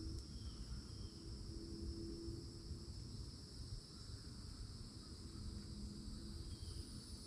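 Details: Summertime cicadas near an old oak at the edge of a Florida forest: a steady thin high whine running through the clip, with a low humming drone and broad rumbling noise underneath.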